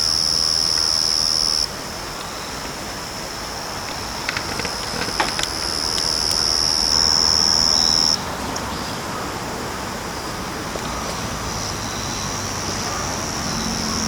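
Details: Yachisuzu cricket singing unseen in the grass of a backyard: a continuous, very high, thin trilling buzz held without pause, its loudness stepping up and down, with a second high insect tone overlapping for part of the time.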